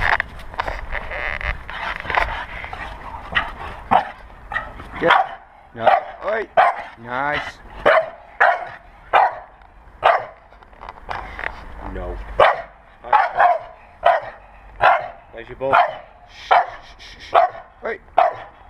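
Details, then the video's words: Two Staffordshire Bull Terriers, a 4-month-old blue pup named Ares and 4-year-old Vinnie, playing tug in a garden; rough growling and grunting bursts repeat roughly every second, with a woman talking over the start. "blue staff pup playing in the garden"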